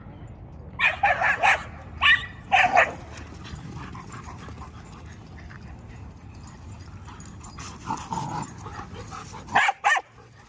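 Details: Dogs revisiting a familiar dog park on 26 November 2023 give a burst of loud barks in the first three seconds. After a quiet stretch of background rumble, a few more barks come near the end.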